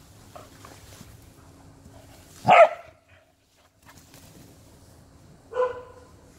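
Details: Welsh Corgi during a game of catching a ball: one loud, harsh bark, then after about three seconds a shorter, more tonal bark, with a low steady hum in the background.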